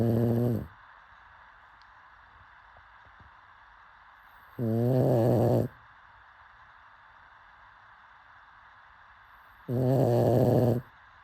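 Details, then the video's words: Pug asleep and snoring, three rough, buzzing harmonic snores, each under a second, spaced roughly five seconds apart with quiet breathing pauses between them. "Pug snoring"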